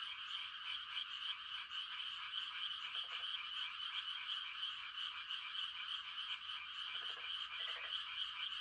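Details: Many frogs giving mating calls on a quiet country night: a dense, unbroken high trilling chorus, with short lower croaks breaking through around three seconds and again near seven to eight seconds.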